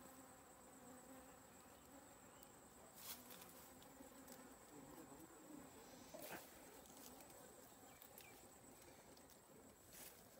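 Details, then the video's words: Honey bees giving a faint, steady low hum that holds through the recording, with a few sharp clicks and a constant thin high-pitched whine in the background. "honey bee 🐝கொம்புதேன்🐝"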